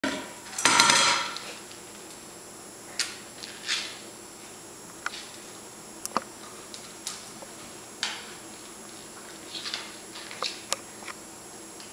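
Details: Indoors, a loud rattling clatter opens the clip, followed by sharp knocks and clinks of a food dish every second or so, with no animal voice.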